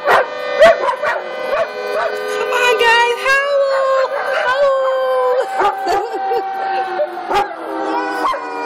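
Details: At a Lucas County daycare, dogs howl with the monthly emergency siren. Long sustained howls slowly slide downward while yips and barks cut in, and a person speaks faintly.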